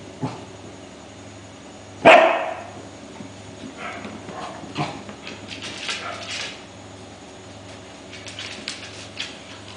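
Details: Welsh Corgi pups, five weeks old, playing and fighting as they discover their surroundings. One loud high yelp at two seconds trails into a whine. Quieter squeaks, shuffling and pawing noises follow against a constant low hum.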